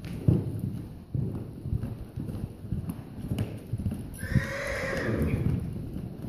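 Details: Draft Percheron/paint cross horse walks with steady clip-clopping hooves, then gives a loud whinny near the end that starts high and slides downward while the hoofbeats continue.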